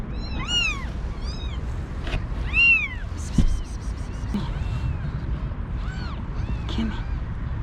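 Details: One-day-old kittens, a litter of five with their mother, being brought indoors before a snowstorm. Several arched meows early on, then fainter mewing, with clicks and handling noises.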